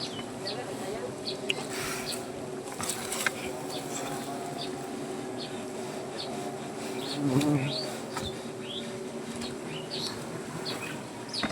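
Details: Wild honey bees swarming at their comb on a banyan tree in Gazipur while honey is harvested; a steady, dense buzzing hum with layered tones runs throughout, with scattered bird chirps and a few short spoken words.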